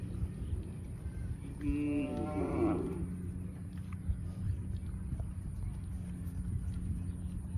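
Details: Cow mooing: a single harmonic moo, about a second long, near the two-second mark, wavering slightly in pitch, set against a steady low hum and faint background noise.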